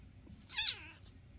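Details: Single sharp meow from one of the foster cats Basil, Oodles and Zimothy, filmed May 22, 2024, bright and strained, rising briefly then falling away in a drawn-out harmonic tail inside a quiet room.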